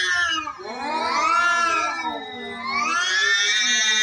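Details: Domestic cats fighting: long, wavering yowls that swoop up and down in pitch, with two overlapping voices, one low and one high, drawn out over several seconds.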